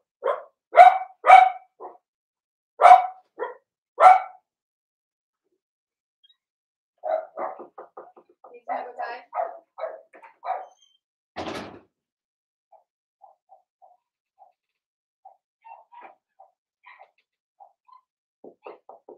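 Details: Six-pup Blenheim Cavalier King Charles Spaniel litter in a home puppy pen: a run of loud, punchy puppy barks, then a jumble of quicker, softer yips and one rasping bark, fading into scattered faint squeaks and whimpers.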